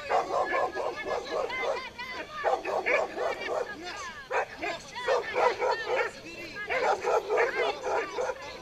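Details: Pit bull barking during a tug-of-war game, a busy run of short, harsh barks and yips repeated in quick bursts with little pause, loud and energetic throughout.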